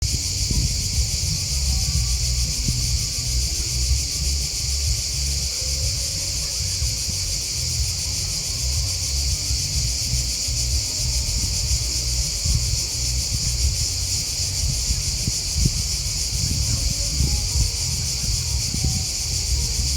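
A steady, shrill chorus of crickets rings on without pause over a low rumble.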